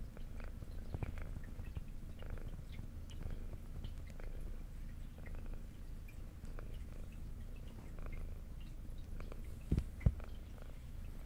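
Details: Adopted indoor tabby cat, female, brown with white underside, purring during a meal: an even, low, steady purr runs the whole time, with light chewing ticks and two louder crunches near the end.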